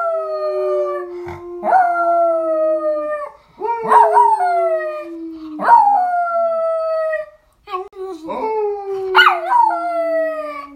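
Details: A female Miniature Schnauzer howls in long, slowly falling tones while a man howls along with her.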